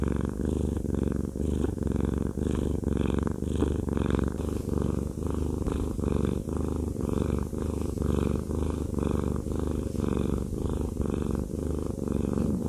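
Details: Haku, a fluffy male pet cat, purring steadily while having a massage; a continuous low rumble that swells and eases about once per second with each breath, with no other sounds.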